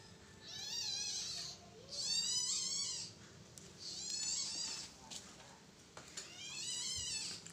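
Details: Baby Asian palm civet calling while its mother carries it to safety because it felt threatened: four bursts of rapid, squeaky, harmonic chirps, each lasting about a second, separated by short pauses, with faint human voices nearby.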